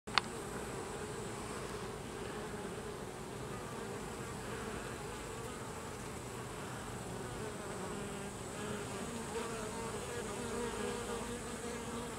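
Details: Carniolan honey bees (Apis mellifera carnica) at a hive as workers expel the drones: a dense, steady, low buzzing of many bees throughout, with a brief sharp click at the start and rising and falling wing tones.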